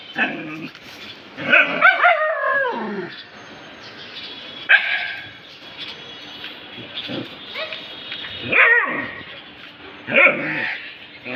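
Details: Several household dogs excited over something they found: scattered sharp yelps and rising, whiny barks, separated by quieter stretches of low background murmur.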